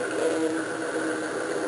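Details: Oyster toadfish (Opsanus tau) gives a steady, grumbling, saw-like, horn-like buzz, made by working its swim bladder with internal muscles, as a mating call to attract a mate.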